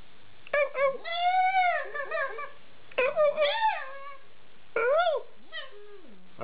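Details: Young Alaskan Malamute puppies at eight weeks vocalising in long, tonal, arched 'woo' sounds, drawn-out and bending in pitch, repeated in three clusters, each trailing into lower wavering notes.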